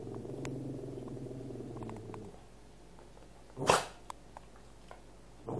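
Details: A Cavalier King Charles Spaniel that wants its owner's food gives a low steady growl for about two seconds, a pause, then one loud sharp bark.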